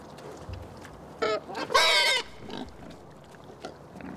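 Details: Male wild boar, a tusker shown in close-up, gives two harsh, harmonic squeals of about a second each, the second louder and longer, followed by a few soft grunts and quiet rustling.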